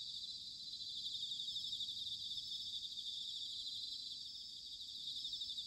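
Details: Soft, continuous chorus of bell crickets on an autumn night in Sanuki, Chiba, Japan, captured by ZOOM H6 and TASCAM DR-05X: many overlapping high pulsing trills merging into a steady shimmer above low background hum.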